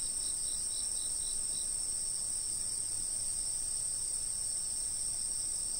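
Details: A continuous high ringing insect drone at a fixed camera location, with a few faint pulsed chirps early on, then only the even sustained buzz over low background noise.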